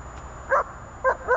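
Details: German Shepherd in IPO training giving three short, clear barks, one single and then a quick pair about a quarter second apart, each rich and tonal, over a faint low background hum.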